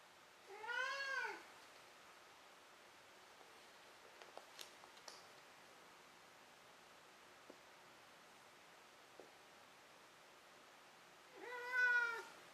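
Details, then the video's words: Domestic cat meowing before falling asleep: two drawn-out, rising-then-falling meows, one near the start and one near the end, with a quiet gap between holding faint clicks and taps in a small indoor room. "鳴くねこからの眠りねこ。 Meow Meow Maru"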